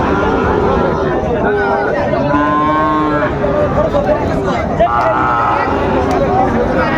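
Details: Sahiwal bull calves for sale at Raniganj market, Dinajpur, Bangladesh, 27 June 2024: two separate moos, a steady low one followed a couple of seconds later by a shorter, higher one, amid loud market chatter and bargaining voices.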